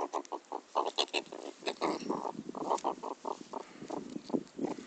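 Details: A pet meerkat being teased during play gives a rapid series of harsh, grunting chatters in quick bursts.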